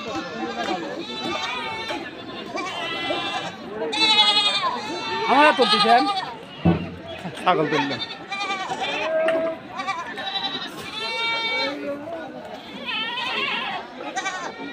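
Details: Crowded Dhulauri goat market, North Bengal's biggest: several goats give quavering, drawn-out bleats in scattered bursts, mixed with constant talking and shouting from traders and buyers.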